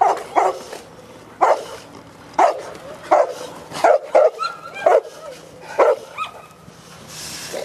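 A Cane Corso gives deep, forceful barks, sometimes in quick doubles, at irregular intervals.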